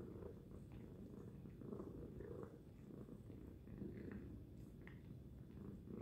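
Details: Loud purring by the cat Tacy: an unbroken low rumble pulsing in slow breath-paced swells, with faint soft clicks and rustles over it.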